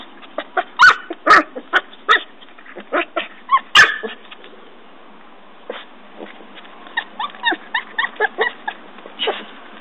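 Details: Norfolk Terrier puppy Ben digging a hole by a tree; a few scattered sharp barks and yips in the first four seconds, then quieter short yelps and scratching noises.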